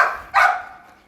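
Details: Single short, harsh bark from a Pit Bull puppy that has grown up, on a hot, sunny morning; abrupt onset, then fading over about half a second into a quiet background.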